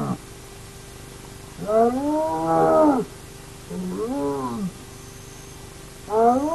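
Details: Hyenas of the Naledi clan at an active den, picked up by a remote camera: three drawn-out, tonal whining calls, each rising and bending back down in an arch, with long pauses of quiet ground noise between them.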